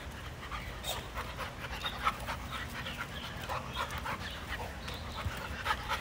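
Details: Dogs playing in a yard, heard as quick, breathy panting in short bursts, with scuffling and rustling noises and a low steady background rumble.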